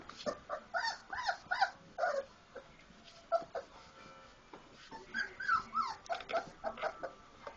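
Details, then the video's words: Several four-week-old Labrador Retriever puppies at play after a meal: bursts of squeaky, wavering whimpers and little squeals, a brief lull midway, then another busy cluster of yelps and whines. "four week old lab puppies playing after eating"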